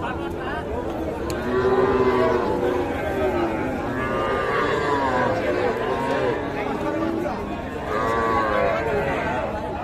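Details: Young bulls and heifer calves for sale at the Ambari cattle market, Parbatipur, Dinajpur district, Bangladesh, Friday 24 May 2024; several overlapping low moos and bellows amid loud, continuous human chatter of a busy outdoor crowd.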